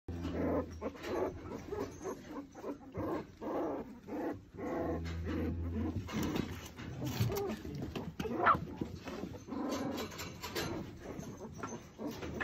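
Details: Alpine Dachsbracke puppies, born 30 March 2021 in a kennel, make low grumbling growls and short whines amid steady rustling.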